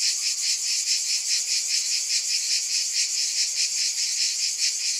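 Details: Unbroken, hissing buzz of cicadas, high and sizzling, gently throbbing a little over twice per second at a steady volume with nothing else audible.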